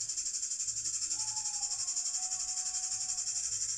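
A cicada gives a steady, high, hissing buzz that pulses rapidly without a break.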